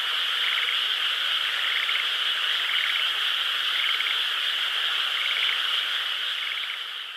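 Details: A frog chorus in a rice field on the night of a crescent moon, 12 May 2016. A constant trilling wash carries distinct pulsed croaks that repeat roughly once a second.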